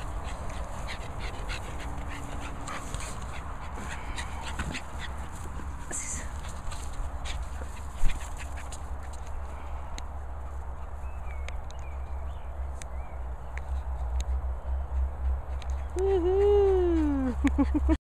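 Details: Olive the Bulldog telling off Beagle Henry: a low, rough rumble runs steadily throughout, and a high wavering whine rises and falls near the end.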